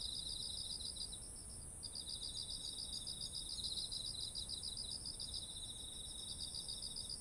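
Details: Insects singing in autumn by ripened rice paddies, ZOOM H1essential recording: quick pulsing trills pause briefly near two seconds, then resume in layered high bands over a sustained piercing drone.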